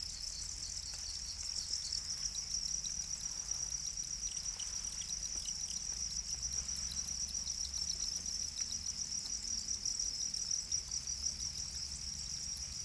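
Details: Farmed black crickets, known as Para crickets, keep up a continuous high-pitched pulsing chirp chorus throughout, evenly loud, with a low hum beneath.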